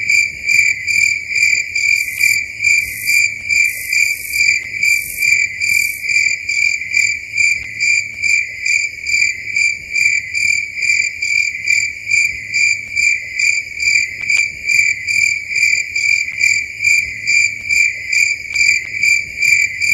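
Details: Crickets chirping away after dark in a forest, a loud, high, ringing trill throbbing in quick regular pulses over twenty seconds, with a few short extra-high sizzling bursts early on.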